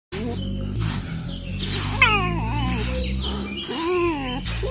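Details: A fox being brushed gives short, high, wavering whines and chirps over a low, steady musical hum.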